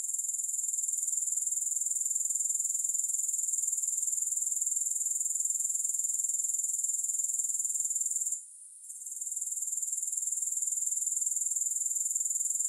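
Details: Continuous high-pitched grasshopper buzzing, free of music, with a fine pulse about four beats per second. It falls away for a moment after eight seconds before the dense trill returns.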